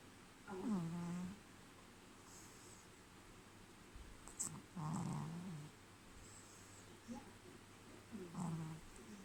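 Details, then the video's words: Sleeping Pekingese puppy snoring: whistly, nasal snores that slide downward in pitch, recurring about every four seconds, with softer breathy rasps between them. "Pekingese snoring puppy"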